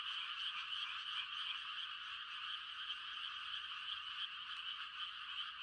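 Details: Frogs giving mating calls on a quiet country night in rice-planting season: a dense, steady trilling chorus of many callers, high and continuous without breaks, with no other sounds standing out.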